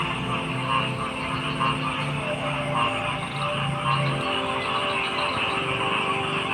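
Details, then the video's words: Frogs croaking: low, throaty croaks pulse in an uneven series through the first four seconds, set against a dense, steady hum of many callers and a thin high-pitched drone. "Frog Sounds"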